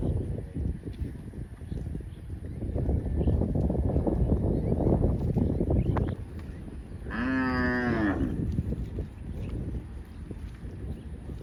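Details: Cow in a field, grazing: several seconds of heavy low rustling and munching, a pause, then one strong, rich moo lasting over a second that dips and falls away, with quieter rustling after.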